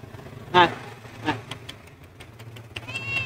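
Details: Homeless cat, hungry and separated from its family, meows loudly once and then more softly, while a voice coaxes it in Bengali with repeated "aay" and small clicking sounds follow.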